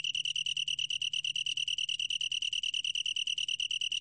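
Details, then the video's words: A long-tailed tree cricket gives a clear, bell-like pulsed trill, its pulses crisply separated at roughly twelve per second and running unbroken through the short stretch; quiet background. "긴꼬리, 여러번 듣기, 곤충소리"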